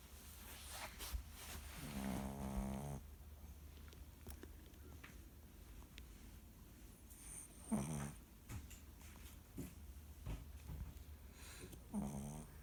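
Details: Chihuahua snoring while buried in a jacket: three buzzy, nasal snores with a low droning pitch and stacked overtones, at about two, eight and twelve seconds, over a steady background hiss.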